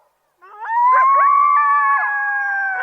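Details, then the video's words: Coyotes howling: a long, clear howl sweeps upward and holds steady, with several overlapping voices and short yipping breaks layered across it, starting after a brief silence. "THE SOUND OF COYOTES"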